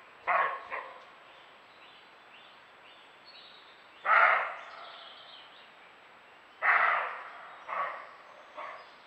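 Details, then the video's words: A roe deer, recorded by camera trap, gives harsh, hoarse, dry barks, often in pairs, spaced several seconds apart; roe deer bark when alarmed by predators or defending territory. "Fototrampeo. El ladrido del Corzo."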